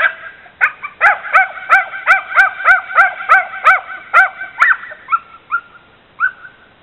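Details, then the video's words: Border Terrier mix, a dog that dislikes bicycles, barking at one in the driveway: a steady series of about a dozen high, yipping barks roughly three per second, tapering into a few softer yelps. "Border Terrier mix barking at bicycle in the driveway"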